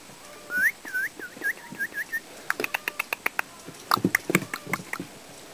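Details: Five-week-old puppies whining: one long rising, then falling high whistled cry, followed by a run of six or seven shorter whines at a steady pace, then a burst of sharp clicking taps mixed with lower yelps.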